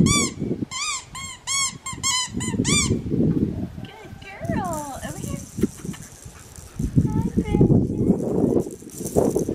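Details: Female black tri Australian Shepherd puppy, Oklahoma-bred, giving a quick series of about eight squeaky, arching yelps, then quieter whines while people talk over it.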